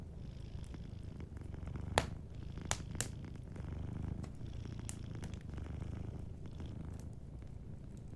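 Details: Gentle purring from a sleeping cat next to a warm fire. A deep, even rumble rises and falls rhythmically, broken by a few loud crackling snaps from the burning logs.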